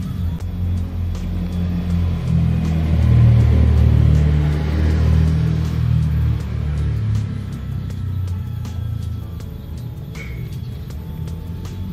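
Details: Deep rumbling music with a steady beat and light ticking percussion, and no animal sound.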